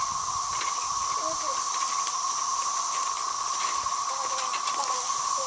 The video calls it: cicada song